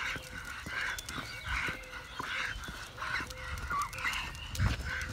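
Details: A Staffordshire Bull Terrier out on a walk gives short, high, whiny yelps in quick, uneven succession.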